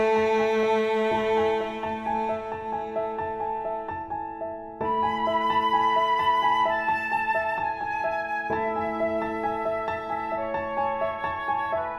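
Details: Soft, sad instrumental music with sustained flute-like and piano notes plays in slow phrases, with no animal sound present.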